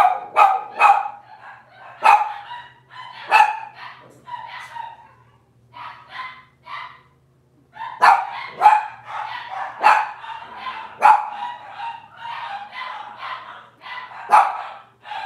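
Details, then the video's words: Robin's litter of Cavalier King Charles Spaniel puppies on a kitchen camera stream, calling in a busy run of high yips, whines and sharp barks, clustered in two noisy bouts with overlapping voices and a short lull in the middle. "Cavalier Puppy Live Stream: Robin's Puppies"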